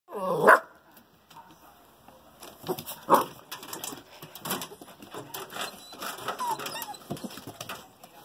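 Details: Two female Bouvier des Flandres puppies, one fawn and one brindle, give two sharp barks about two and a half seconds apart, followed by a stretch of scuffling, rustling background noise.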